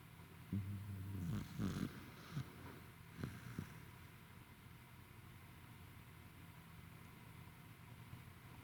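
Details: Roku, a tired corgi, snoring on 28 November 2021: a few rough, low snorts in the first two seconds, then only a steady low hum with quiet rustles.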